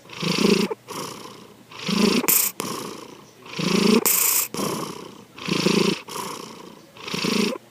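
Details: Sleeping house cat Sankichi snores in steady cycles: five raspy, rumbling breaths about every one and a half seconds. Brief faint clicks sound near some breaths, and short hushed gaps separate them.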